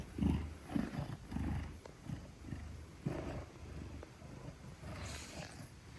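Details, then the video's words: Gelic, a 10-kilogram Maine Coon, purrs trustingly while held in someone's arms; low rumbling pulses come in bursts roughly every half second, with a faint hiss and light handling noise. "10 Kilograms of Pure Purrs: Gelic in Safe Hands"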